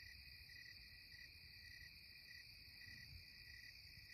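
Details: At twilight in the Catskills, cicadas give steady, high buzzing in layered tones, with a soft pulse repeating about every half second.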